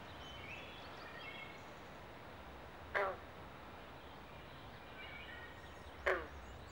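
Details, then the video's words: Two short, rasping frog croaks about three seconds apart over a faint distant chorus and steady hiss, at a Pinelands pond in Southampton, New Jersey, where carpenter and green frogs call during mating season. "Southampton NJ Frog Pond Sounds at Mating Season"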